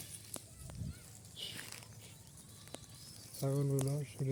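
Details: Farm goats, fed only fresh green grass and kept for sale at Eid, give a short, wavering, nasal bleat near the end, with a second one starting just after. Before that come rustling, soft thuds and quiet speech.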